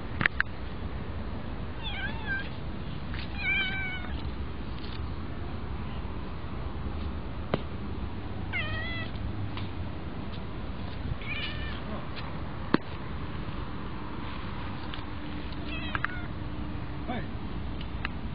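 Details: Lively one-eyed kitten giving a series of short, bright meows spaced every few seconds, some rising then falling in pitch, against a constant low rumble and occasional sharp clicks.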